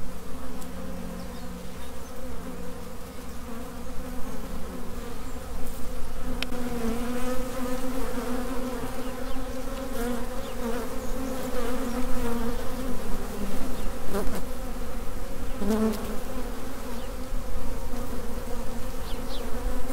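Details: Honey bee swarm in flight between the original hive and a new residence. The buzz is constant and thick, with a wavering hum that rises and falls slightly and a few faint clicks and taps.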